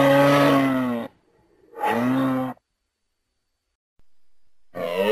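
A moose gives long, low, nasal moaning calls, each about a second, with brief pauses between.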